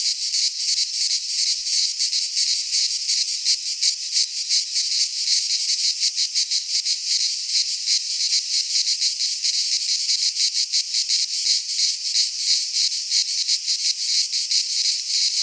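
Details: Many cicadas singing together in a Greek pine forest in midsummer, a relentless high, sizzling buzz beating in fast, fairly regular pulses throughout, no birds or people heard.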